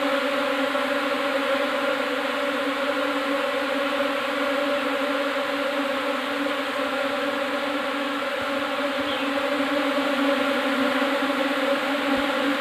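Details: A new swarm of Asian honey bees, Apis cerana indica, arriving in a hive box fills the air with a dense, steady, droning hum, a continuous low buzz with layered tones that never breaks.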